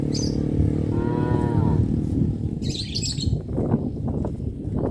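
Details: Cows walking through a village road toward the livestock pen in the afternoon; one short moo with a slightly falling pitch, then rustling, scuffing and a little bird chirping amid constant low background noise.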